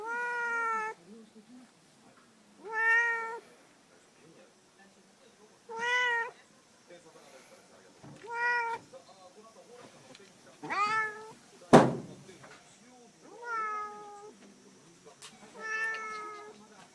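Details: Bothered during its nap, a cat meows repeatedly, about seven short plaintive calls roughly every two seconds, with a sharp click or knock near the middle and quiet indoor background.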